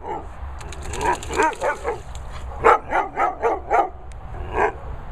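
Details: A Cocker telling off a Pointer for shouting at him: a continuous run of loud, rapid barks and yelping calls, roughly four a second, over steady background noise.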